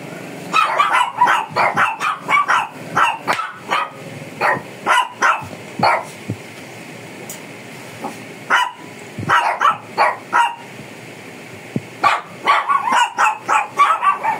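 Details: Aggressive Shih Tzu during a grooming session in the Philippines barks rapidly and repeatedly in clusters of yappy, high barks, with brief pauses between the runs.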